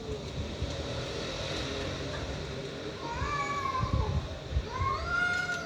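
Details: Stray cats fighting; a noisy low rumbling background at first, then two rising wailing yowls toward the end.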